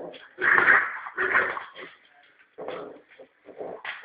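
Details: Three-and-a-half-month-old male Norfolk terrier worrying a rope ball as if it were a rat; two strong rasping growls, then shorter broken snarls, in a small indoor room.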